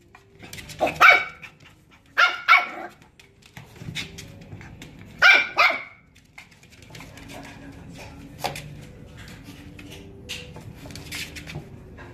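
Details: Female apricot dog born in December 2018, kept in a pet shop, giving sharp barks in bursts near one, two and a half and five seconds, then only quiet room noise and a faint hum.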